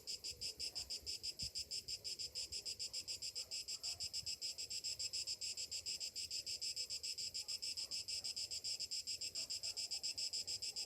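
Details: Morning cicadas in summer, a high, sizzling drone chopped into quick pulses about three and a half per second, steady and unbroken across the whole stretch.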